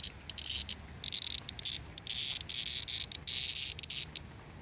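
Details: A cicada (jarfly) held in hand in the Appalachian mountains in summer gives loud, harsh buzzing bursts that start and stop in quick, uneven pulses, though it is not very loud right now.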